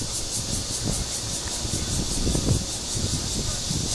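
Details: Red-veined bear cicada (Cryptotympana holsti) calling for a mate in Guangming Park on Yuanhua Road, Zhongli, Taiwan: a high, hissing drone with a faint pulsing texture, half buried under heavy low rumble from traffic and wind.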